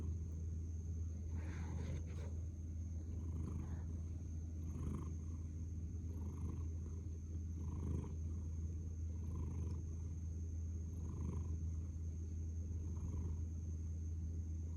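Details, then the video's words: Cat lying nose-down and purring: a deep, even rumble with a soft swell about every one and a half seconds as it breathes in and out, and a constant thin electronic whine behind it. "Kucing mendengkur"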